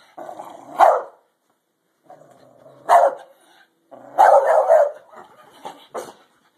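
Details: Pet dog in a fight: harsh, loud barks in short bursts, a single bark near one second, another near three, then a rapid cluster of snarling barks followed by two shorter yelps.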